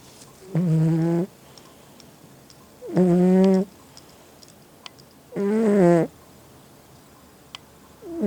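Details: Loud snoring from a pet domestic cat, kept indoors: three long, droning, harmonic-rich breaths about 0.7 seconds each, repeating roughly every two and a half seconds, with quiet room pauses between.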